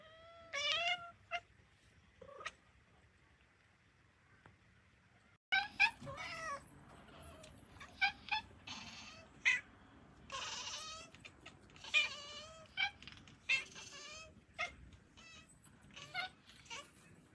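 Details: Talkative domestic cats talking to each other, even in sleep: a run of short, bending meows and chirpy, trilling calls in quick succession, some rising and falling, with brief quiet gaps and a low background rustle.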